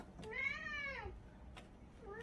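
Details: Pet cat meowing as if answering in place of another cat that seems sulky, indoors; one long drawn-out meow with rich harmonics, rising then falling, followed by a brief second meow starting, with a person's voice around it.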